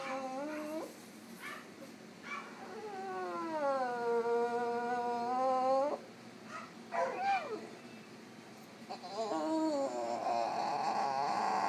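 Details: Female French Bulldog at an animal clinic, drowsy from anaesthetic after routine surgery, voicing discomfort: drawn-out whining howls with wavering, bending pitch, several separate cries broken by short pauses and softer whimpers.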